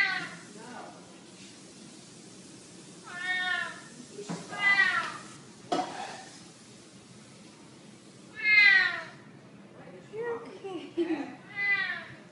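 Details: Domestic cat, sound used to chase off mice: several falling harmonic meows spread across twelve seconds, the loudest around eight and a half seconds, with short clicks and a few softer mews between.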